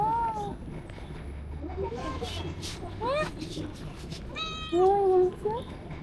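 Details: A small kitten resting in shade in a park on a hot, humid day gives high, thin meows that bend up and down while people talk softly nearby; the person asks if it is hungry.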